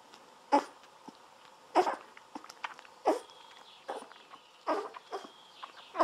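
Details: Golden Retriever puppies, 17 days old, drinking milk from a bottle while lying on their backs; short grunting squeaks about every second, each with a soft nasal tone, over quiet sucking noises.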